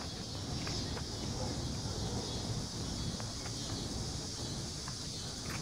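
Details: Crickets chirping in a steady, continuous high-pitched trill that runs unbroken through the recording, over a heavy low rumble of wind or distant traffic and faint rustling.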